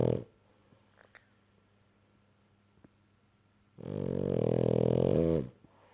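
A French Bulldog gives a long, loud, rattling snore in a quiet room.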